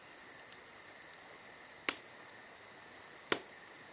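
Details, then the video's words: Unbroken high-pitched cricket trill on a summer night, with two loud sharp snaps of a crackling campfire and a few softer ticks in between. "Summer Night Crickets & Crackling Fire"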